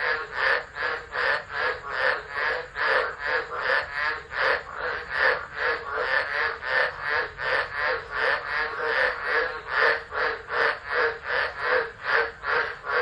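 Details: Tropical frogs chorusing during a tropical low storm at Driver, Northern Territory, Australia, 13 December 2013, on a phone left unattended. Dense overlapping croaking pulses beat roughly twice a second, steady and unbroken throughout.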